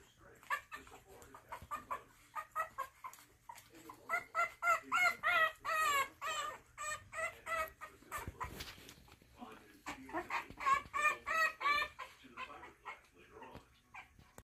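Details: French Bulldog puppies of the litter "Mighty Quinn" in their nursery, visited for the first time by Frenchton MaeMae, a French Bulldog and Boston Terrier mix. The pups give rapid, squeaky, whimpering cries in two long bursts, about three per second, with a brief lull midway.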